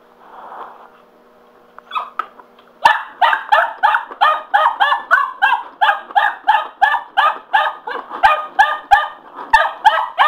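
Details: Sugar the pet Cocker Spaniel, worked up over a spin mop indoors, starts with a soft whine and a few yips, then barks nonstop in a steady, rapid series, about three a second, with occasional mop clicks.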